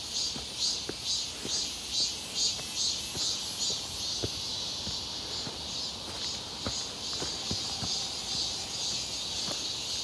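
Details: Cicadas near Seonbawi on a clear, hot 1 August 2023, heard on a walk in midsummer: a dense, high-pitched buzzing drone, continuous with faint pulsing, and steady footsteps crunching underneath.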